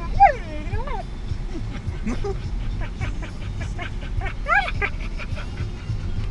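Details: Puppy in a car while driving, giving odd vocal noises: a drawn-out arching whine at the start and another quick rising-falling squeal midway, with vehicle hum underneath throughout.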